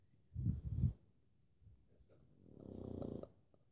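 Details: Pug snoring indoors: two loud, low, rasping breaths in quick succession, then a quieter stretch and a longer drawn-out wheezy snore near the end.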